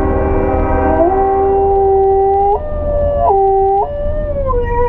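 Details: German Shepherd mix howling along to a train sound, a loud sustained tonal howl rising at the start, holding level, then stepping up and down in pitch through several drawn-out, wavering notes.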